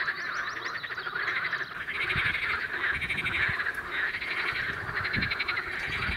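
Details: Male water frogs in a spring pond chorus, calling mainly from two sides of the water as rival groups; dense overlapping rattling croaks pulse continuously, with a few low thumps beneath.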